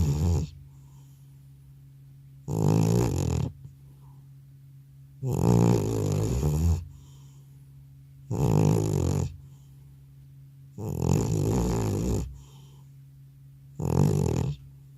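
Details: Old house cat sleeping heavily after a vet visit, recorded indoors without an extra microphone: six throaty, rattling snores at slightly uneven gaps of two to three seconds, with faint soft breaths between them.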